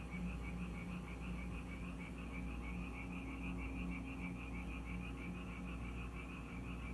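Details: In Korea, frogs that arrive at a house each time it rains call in a busy chorus of short, rapidly repeated croaking pulses, set against a steady low-pitched hum.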